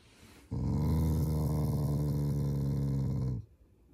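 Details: Affectionate Shiba Inu family dog giving a playful, not angry, growl at its owners: one steady, deep rumbling growl lasting about three seconds, starting abruptly and ending sharply.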